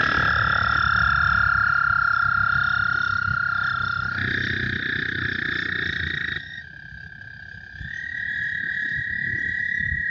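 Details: A group of American toads (Anaxyrus americanus) in Iowa gives long, steady, high musical trills that overlap, an almost deafening chorus audible far from the water.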